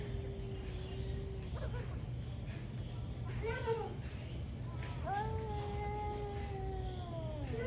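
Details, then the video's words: Two angry cats fighting in the morning: a low drawn-out growl, then a brief sharp rising cry and a long descending yowl, against a steady low hum and faint insect chirps. "Cat Fights cat | Angry Cat caught on camera | gato briga com gato"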